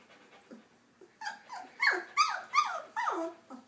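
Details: Puppies learning to walk give high, squeaky whimpers: short falling squeals that grow louder and come in a quick run of about five cries near the end, with faint softer whines before them.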